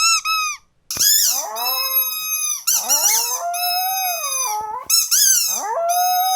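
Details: Pet dog at home howling: a brief squeaky note opens, then long wavering tonal wails slide up and down through several drawn-out phrases with short gaps between them.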